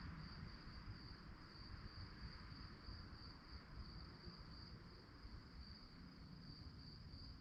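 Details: Crickets chirping in the night: a sharp, high-pitched trill of quick regular pulses runs the whole stretch, accompanied by a steady low rumble beneath.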